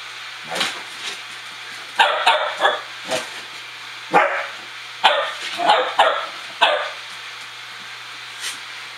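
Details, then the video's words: A dog waiting to be fed makes a string of short, sharp yips and barks. They come in quick bursts of two or three, about a dozen in all, with brief pauses between the bursts. "Dog talk"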